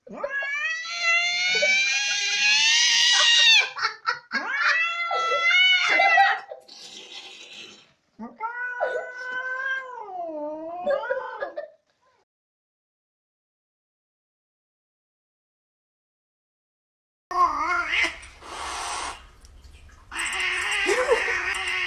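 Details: Angry cat yowling in loud, drawn-out wavering howls that rise and fall, several long calls in the first twelve seconds, then silence, followed by harsher noisy cries mixed with background sound.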